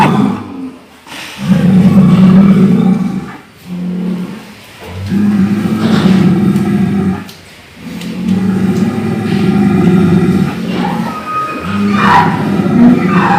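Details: Cow, said to be snoring, producing a string of deep droning harmonic calls, each a second or two long, broken by short gaps and some rough breathy bursts.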